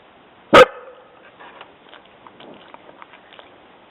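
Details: Jessi, a dog, gives one sudden, loud bark on hearing somebody walking on the trail. Quiet clicks and faint rustles follow the bark.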